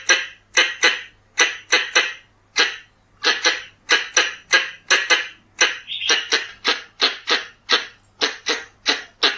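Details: Lure recording of Pallas's squirrel: a long, fast run of harsh chattering chucks, sometimes doubled, speeding up toward the end, with a brief higher squeal near the middle and a steady faint low hum.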